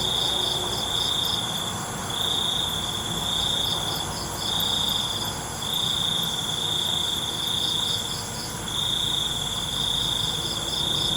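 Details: Night-time crickets giving piercing high trills in rhythmic bursts of one to two seconds, separated by brief pauses, above a steady buzzing chorus of other insects.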